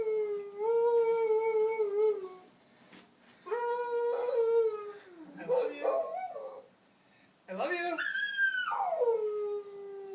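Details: Young pet dog singing in long sustained howls, the first held steady for two seconds, then another held note breaking into wobbling yelps, and finally a high rising cry that arches and slides down.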